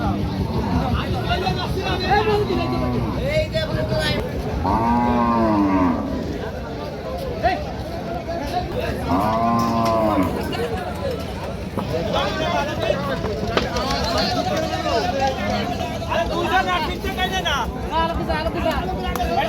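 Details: Local cattle unloaded at a Bangladeshi cattle market, calling repeatedly: several loud, arching moos about every five seconds, with quieter overlapping lowing from other animals, shouting voices and market bustle throughout.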